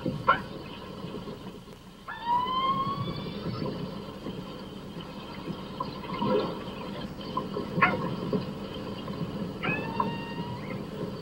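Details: Keiko, a captive male killer whale (Orcinus orca) in a netted bay pen off Iceland, gives rising, squeaky underwater calls with ringing overtones over a steady hiss, communicating with a harbor porpoise outside the pen; hydrophone recording.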